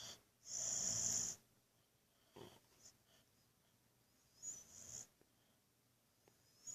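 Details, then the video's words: Buddy the Boxer asleep and snoring before being woken: one short loud hissing, whistling breath near the start, then quiet stretches with soft snuffles and faint high whistles. "Buddy the Boxer woken while snoring"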